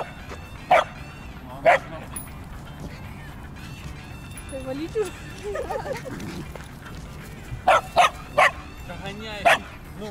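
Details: Dogs of Yorkshire terrier, husky and dachshund breeds out on a walk: short sharp barks in pairs near the start and a quick cluster near the end, with people talking in between.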